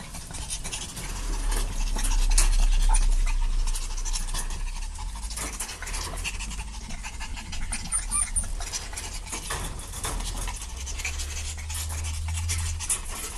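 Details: Puppies playing together, rapid soft breathy panting repeated about four times a second with broadband scuffling noise and a low steady hum underneath.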